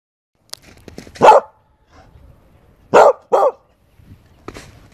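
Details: Corgi Husky mix puppies barking: three loud short barks, one near the start and a close pair about three seconds in, with faint scuffling and small yips between.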